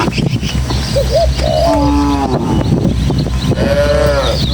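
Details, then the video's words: Village cattle, a tame herd of dozens, heading along rural footpaths and hills to their pen in a gentle breeze. A short grunt leads into a steady moo, then a later, brighter moo. Faint bird chirps sound behind low wind noise. "Suara Sapi"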